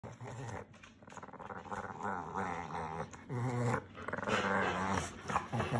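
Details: Upset Pekingese dog growling and hissing indoors in a small room, producing a low rumbling growl with uneven pulses and breathy snorts, occasional louder bursts.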